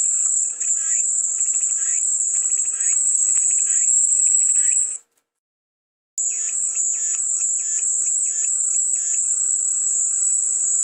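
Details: Continuous high-pitched cicada drone. It cuts to silence for about a second midway, then resumes just as strong, with faint rhythmic chirps beneath.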